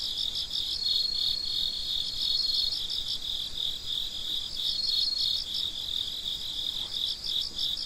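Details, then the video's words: Night crickets at midnight chirping together in a thick, shrill chorus, rapid pulses repeating about three times a second, with a short thin tone drifting above in the first seconds. "Gece Cırcır Böceklerinin Sesi - Huzur Veren Sesler - The Sound of Crickets"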